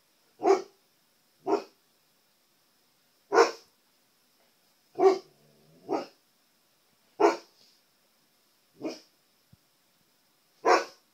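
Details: Pet Siberian Husky indoors barking at his own reflection in a television screen, as if trying to communicate with himself; eight short, sharp barks spaced one to two seconds apart, with quiet pauses between them.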